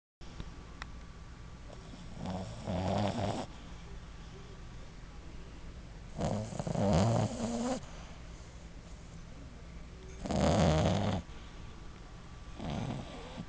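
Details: A sleeping 6-month-old female Boston Terrier puppy, tongue sticking out and eyes half open, snores in low, rasping breaths repeated every few seconds.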